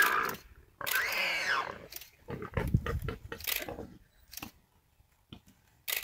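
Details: Large warthog caught and held by a big male leopard in South Africa, struggling before succumbing. A rising-then-falling harmonic squeal lasts about a second, amid scuffling, crunching noise and low thuds.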